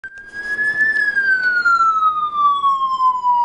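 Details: A police-style siren wails, rising slightly and then sliding steadily downward in pitch for several seconds, with no animal sound heard.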